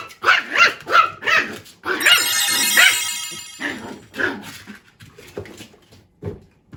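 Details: Male tiny toy poodle, born March 2021, expressing itself to its owner with quick rough barks and yips, several per second, partly overlapped by a bright ringing tone in the middle, then scattered softer barks.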